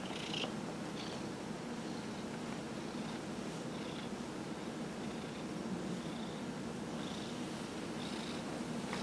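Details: A 15-year-old domestic cat receiving a massage from its owner, purring steadily throughout, with short faint higher-pitched squeaky noises recurring every second or so over a constant soft background hiss.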